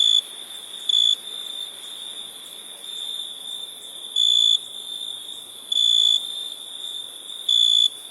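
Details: Crickets chirping: short shrill tonal bursts come at uneven intervals, with a long pause in the middle, set against a continuous high insect hum from other callers.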